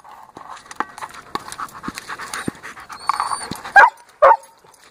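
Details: German Shepherd Dog at play with a 14-inch orange indestructible ball: steady panting and scuffling throughout, then two short, loud, tonal whining yelps close together near the end.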